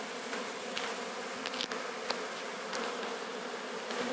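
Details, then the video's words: Sicilian honey bee swarm under capture near Sciacca: thick buzzing hum with brighter, higher wingbeat whines passing close and scattered faint clicks. "Cattura di uno sciame di api (Apis mellifera sicula)"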